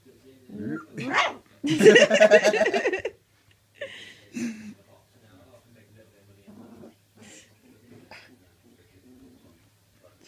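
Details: A three-week-old red Labrador Retriever puppy gives its first barks: a high, squeaky bark among softer yips, with a person talking nearby.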